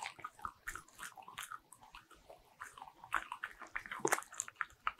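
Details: Bichon Frise dog eating butter-ring cookies indoors, close-miked: irregular crisp crunches and biting clicks, quieter stretches between bites, louder burst of crunching toward the end.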